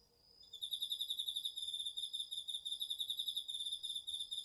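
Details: Autumn garden cricket, DR-40X recording: after a quiet half-second the high pulsed trill starts abruptly and continues as fast, evenly repeated chirps, rising and falling slightly in loudness.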